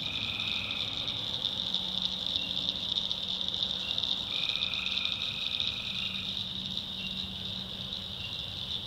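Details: Tree frogs in a North Carolina backwoods swamp at night: constant high shrill chorus, with a short trill at the start and a longer two-second trill midway, plus a faint low drone underneath.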